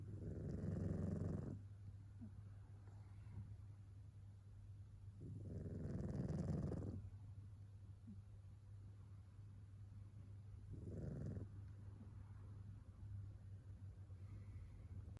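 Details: Sleeping tabby cat named Yukichi snoring much like a human: three low, raspy rumbling breaths about five seconds apart, the last one shorter and quieter, over a steady low electrical hum between snores.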